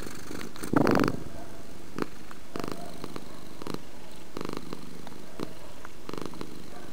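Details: Domestic cat purring, a low steady rumble with one strong burst near the start, then softer regular pulses about once a second as the breathing cycles in and out.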